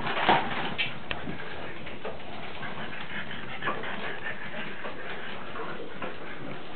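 A French Bulldog lets out a short, high yip-like whimper near the start. Low snorts, snuffles and muffled grunts continue against a steady background hiss.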